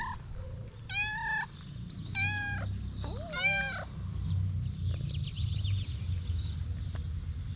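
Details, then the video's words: Homeless street cats in Morocco meowing on seeing the person who feeds them: three clear, tonal, slightly wavering meows about a second apart, over a low rumble of background noise and faint high chirps. "When cats see the food server, they start meowing everywhere."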